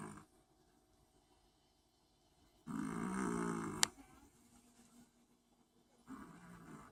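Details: Long-haired Chihuahua snoring: one long gravelly, rattling breath ending in a sharp click, then a softer snore starting a few seconds later.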